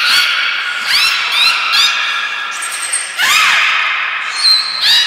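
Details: Aquarium belugas Nana, Mirai and Niko, Nagoya Port Aquarium training session, 11 January 2021: bright, overlapping squeals and rising chirps, dense and nearly continuous, with a drop then a fresh burst midway and thin high whistles near the end.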